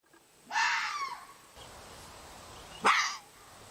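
A red fox gives two hoarse, rasping cries separated by a couple of seconds of quiet.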